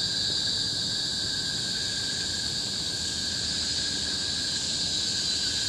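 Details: Cicadas in the tropical forest of Bukit Timah Hill, Singapore, recorded in 2017: a steady, loud, shrill drone with bright high bands and a thin lower whine, unbroken throughout with no pauses or other clear sounds.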